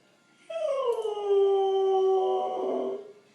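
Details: Howling pet dog, after a beautiful Sunday in the yard and Granny's visit: a single long howl begins abruptly, slides downward, then holds a steady clear tone before fading, in a quiet room.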